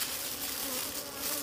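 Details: Wild bees around a concealed honey nest in nature: a continuous even buzzing drone with stacked low overtones, holding steady for the whole moment with a breathy hiss above it.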